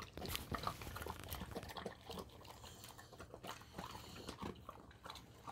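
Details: A Golden Retriever eats its Monday breakfast of dry food topped with sea bream bone soup, finishing it as usual. Irregular wet chewing and crunching with quick clicks and smacks in a small indoor space.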